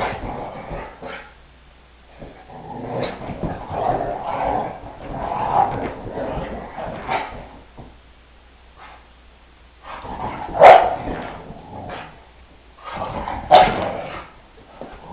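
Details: Brittany dogs at home playing with a 10-week-old foster puppy two days after its arrival; low playful growling and grumbling with two sharp barks near the end, indoors in a small room.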